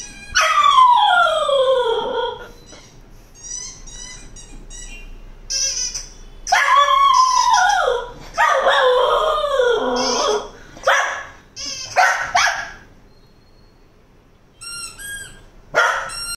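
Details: A Cocker Spaniel reacting to a squeaky toy gives drawn-out whining howls that swoop downward in pitch, with a few quick yips, between bright, brief squeaks from the toy.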